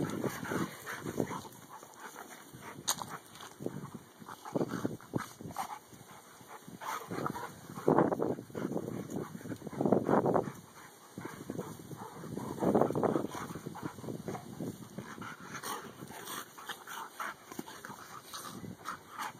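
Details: Two male dogs, Dakotah and Kobi, best friends, together: low rumbling growls rise into louder throaty bursts around the middle, with broken, irregular noisy grunts and a steady electrical hum in the background.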